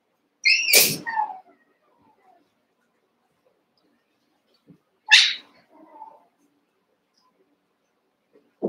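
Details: Young Cavalier King Charles Spaniel puppies at play in a shared pen, eight pups wrestling; two sharp, high yips about four seconds apart, each with a short trailing squeak, quiet room between them.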